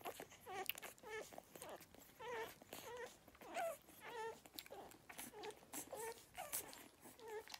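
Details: Beagle puppies nursing give high, whiny squeaks and whimpers, short and wavering, repeated in quick, uneven bursts.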